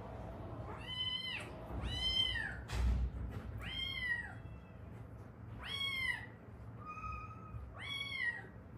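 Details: Rescued Haeundae stray cat, from a mother and daughter who survived seven years on the street before rescue and foster care, meows about six times in quick succession, arching rising-then-falling cries, with a brief thump near the middle.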